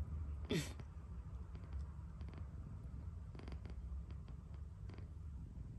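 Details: Sleeping cat snoring with a deep, continuous low rumble; a short sharp squeaky noise breaks in near the start, then faint clicks and rustles over the steady breathing.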